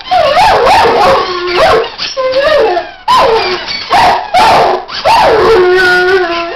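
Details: Weimaraner dog howling along with squeaky toys, trying to out-squeak them: loud wavering, sliding howls with bright harmonics, repeated in bursts every second or so, interleaved with sharp high squeaks.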